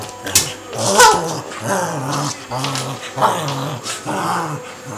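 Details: Two Cavalier King Charles Spaniels named Harvey and Sam play fighting, not really fighting: low rumbling growls that rise and fall in pulses about once a second, with a brief yip and scrabbling in between.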